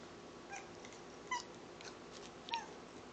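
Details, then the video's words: Domestic cat making odd clicking sounds likened to dolphin clicks: two brief, quiet, chirp-like tonal notes about a second apart, each with a sharp onset, over a soft steady background hiss. "Cat speaks in dolphin clicks"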